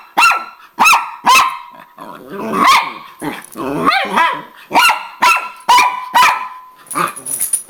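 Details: Angry Miniature Pinscher barking at her sister in a squabble for the owner's attention on coming home; quick high barks mixed with a growling, wavering tussle in the middle.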